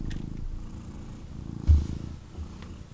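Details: Snuggling male kitten purring in his owner's arms; low throbbing rumble in two swells with a short pause between, interrupted by a brief bump from movement.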